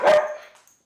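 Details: Male dog, very reactive to people, gives a weird air bark with no reason at a female guest in the house just after she tossed him five treats. A single short sharp bark fades into silence.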